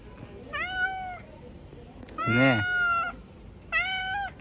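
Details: Hungry stray cats living on the street, fed by a person: three clear, tonal meows, the middle one longer and louder and overlapped by a lower voice sliding downward, with brief quiet gaps between calls.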